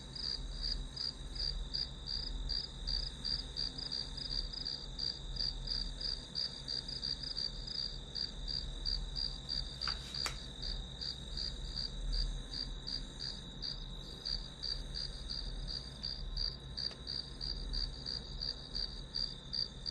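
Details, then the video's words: A long stretch of grass insects singing as study white noise. Thin, high chirps repeat in a regular beat about three a second, broken once by a short sharp tap midway, with a low hum underneath. "풀벌레 소리"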